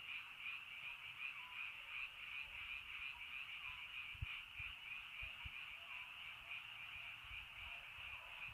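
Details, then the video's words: Frogs calling in the rainy countryside in early night: a dense, unbroken chorus of high trilling croaks that pulses faintly about three times a second, with scattered low thuds underneath. "비 시골 저녁 개구리 소쩍새 rainy countryside frog bird in early night"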